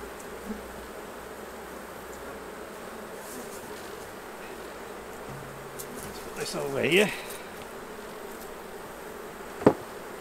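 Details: Honey bees around their hives during a honey harvest as frames are taken out and bees brushed back into the hive; a steady droning hum runs throughout, with a brief swooping sound near the end and a sharp knock.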